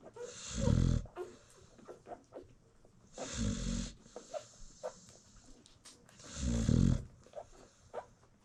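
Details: Newborn American Bully puppies feed while their mother snores peacefully, South Africa; three loud, gravelly snores spaced about three seconds apart, with soft suckling and rustling between.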